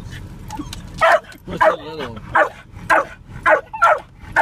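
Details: Jack Russell Terrier barking at cows from a moving car, a run of loud sharp barks about every half second, some with a whining rise, a brief human voice in between, low engine rumble underneath.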